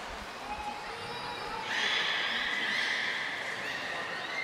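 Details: At Port of Nagoya Public Aquarium on 10 February 2024, captive belugas Gray, Nana and Mirai in training: after a soft opening, a loud sustained reedy whistle with bright overtones starts and holds, as voices murmur underneath.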